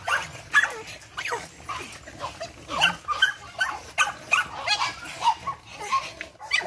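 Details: Several 8-week-old Boston Terrier puppies of Charm's litter, full of energy, yap in bright, high, clipped barks that come in quick uneven bursts, voices overlapping, a person talking faintly.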